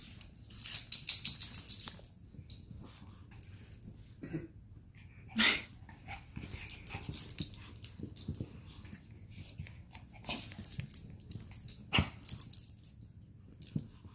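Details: Two pet dogs, a Chug and a Chihuahua named Sausage and Weenie, play-fighting indoors: raspy, wheezy snorts and short noisy growl bursts come in scattered clusters, loudest near the start and again toward the end, with a person's voice urging them on.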